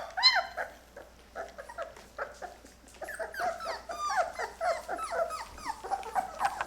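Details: Several Labrador retriever puppies, Mocha's litter at 23 days old and newly eating puppy food, cry indoors with overlapping short whines and yips that bend downward, building into a busier chorus toward the end.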